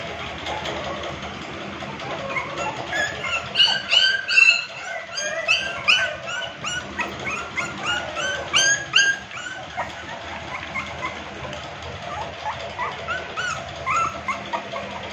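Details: Kennel-kept American Pit Bull Terrier pups keep up a steady chorus of short, thin whimpers and squeaky yips, several overlapping, repeated a few times a second over a constant background hiss.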